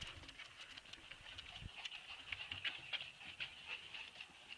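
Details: Several Husky puppies give continuous high-pitched whimpers and small squeaks, overlapping in a steady whining band with quick chirpy accents, over low rustling and soft bumps.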